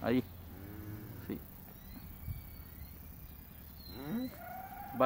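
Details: One-month-old calves shown at a calf parade in El Salvador's countryside; short bleating moos with arched harmonic bands open the recording, with a softer moo near the middle and another rising moo toward the end, while people give handling instructions nearby.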